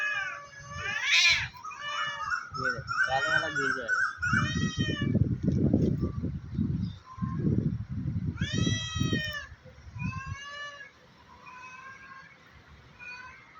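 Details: Two cats fighting on top of a tree, threatening each other; a series of quavering, harmonic yowls at the start, a stretch of people talking, then another rising yowl and softer tail-off.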